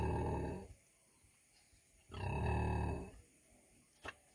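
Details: Two deep, raspy grunts from a 100 kg female pig, each about a second long, followed by a single sharp click in otherwise quiet surroundings.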